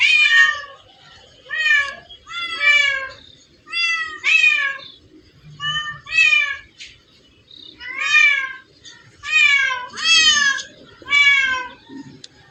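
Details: Several cats in a place full of them call in quick succession, around ten strident meows rising and falling in pitch, sometimes paired, separated by short pauses with faint background murmur.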